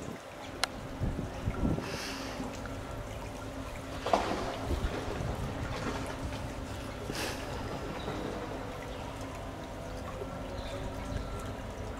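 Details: A boat's engine hum and water sounds come through steady low wind, with a few knocks and splashes, and no animal voices.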